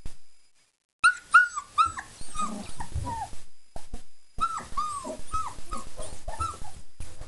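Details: Four-week-old German Shepherd pups, freshly fed on kibble, yogurt, nutritional yeast and raw chicken bits, whine in repeated high, bending yelps in two bursts, with low grumbling underneath and scuffling between calls.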